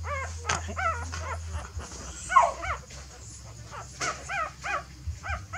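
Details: Mother dog, apparently wanting to move her puppies to a new nest, perhaps because it has become messy: high, wavering whimpers and whines in short bursts, several per second, with gaps between groups and a low steady hum underneath.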